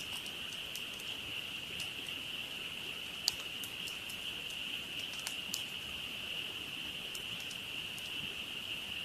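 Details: Night chorus of frogs at a campsite, a dense continuous high-pitched trill holding level the whole time, while the campfire snaps and crackles with frequent sharp pops, one louder crack near the middle.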